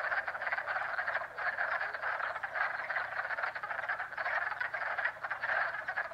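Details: Pond frogs in spring at Jackson, New York: a loud chorus of rattling pulsed trills from many animals, swelling and fading in waves roughly every second.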